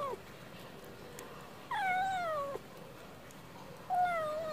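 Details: A stray cat asking for wet food, making about three clear meows separated by quiet gaps, each sliding downward in pitch, the middle one longest and wavering.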